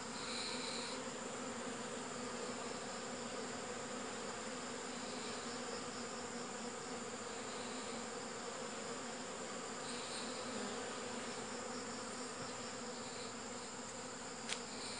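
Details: Honey bees humming in a constant dense drone, level and unchanging, with a brief click near the end.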